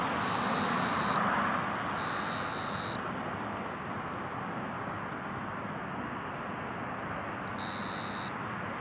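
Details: A banded ground cricket (Dianemobius fascipes), a small 6–9 mm cricket audible from tens of metres, gives high, buzzy trilled bursts over a steady hiss of background noise.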